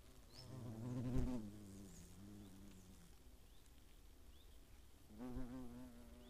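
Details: Hornets near their nest in the Eifel by Greimersburg, 15.8.2017. Two loud buzzing fly-bys, around one second and five seconds, rise out of a quieter background drone. Thin high chirps are heard faintly.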